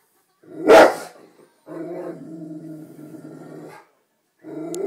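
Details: A Rottweiler watching TV "talks" to the animals on screen: one sharp bark, then a long, low, droning moan-like grumble, then starts another.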